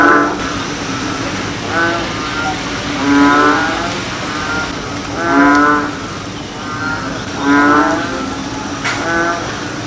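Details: American bullfrogs (Lithobates catesbeianus) give advertisement calls: deep, resonant, rumbling calls in slow succession, each lasting under a second.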